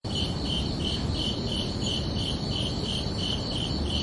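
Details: Crickets chirping on a summer night, a steady pulsing trill of short bright chirps repeating about three times a second over a constant low background rumble.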